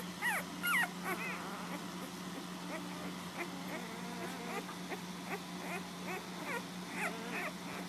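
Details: Puppies nursing at home give high, squeaky whimpers: short rising-and-falling whines tumbling over one another, some faint and some sharp, over a steady low electrical hum.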